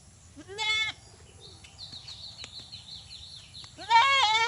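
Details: A Bangladeshi desi goat gives two loud, wavering bleats separated by a quiet stretch of faint background sound.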